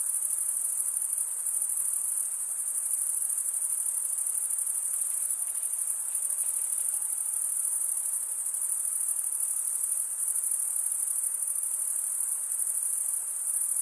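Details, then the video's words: Crickets chirping in a dense, unbroken chorus: a very high, steady shimmering trill held at an even loudness throughout, with no other animals, voices or music heard. "Most relaxing cricket sound for 8 hours"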